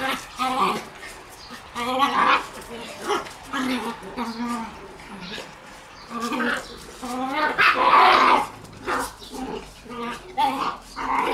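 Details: Shiba Inu puppies in a play yard on 26 June, giving repeated short high yips and whining yelps in bursts, with some louder sharp cries and what may be human voices nearby.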